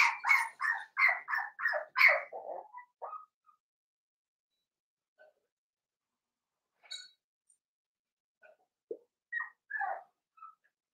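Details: Seven-week-old blenheim Cavalier King Charles Spaniel puppies from a litter of five, in an indoor puppy pen. A burst of about seven sharp, high yapping barks opens the recording, then scattered faint whimpers and squeaks separated by quiet pauses.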